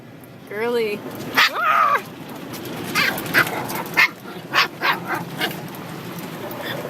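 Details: Puppy being washed, giving a wavering, high whine followed by a second rising and falling cry, then a series of short sharp splashes or clicks over steady water noise.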